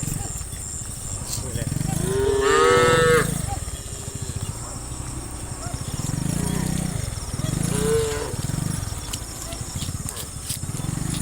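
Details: Cattle running down a hill in a group, one loud long moo near the start and a shorter one later, over heavy rhythmic low rumbling of hooves and wind.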